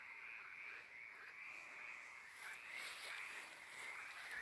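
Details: A steady night chorus of frogs and toads near a cemetery makes a continuous high trilling hum with no pauses.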